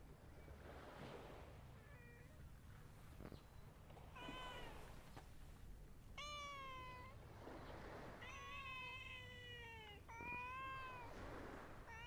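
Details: Cats gathered together on a cat island, rolling about. Several clear, tonal meows sound in the second half, some drawn out and falling, heard over a soft low hum and faint rustling.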